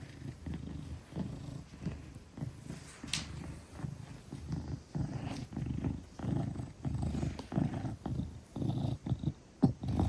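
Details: Gelic, a 10-kilogram Maine Coon, purring trustingly while held in someone's arms indoors; low rumbling purr pulses in steady in-and-out cycles, with a few faint clicks and rustles.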